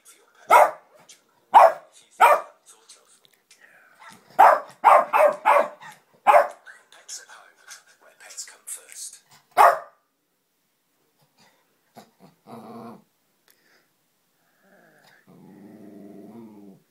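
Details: Dog barking at the Pets at Home advert on a television, bursts of sharp barks through the first ten seconds with faint television sound between, then quiet and a person's voice near the end.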